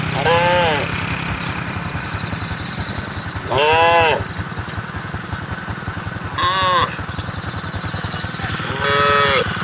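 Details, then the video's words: Cattle on a road calling the herd: four drawn-out, harmonic moos spaced roughly three seconds apart, over a steady pulsing rumble of a nearby engine or motorcycle. "SAPI DI JALAN SUARA SAPI BUNYI MANGGIL KAWANAN"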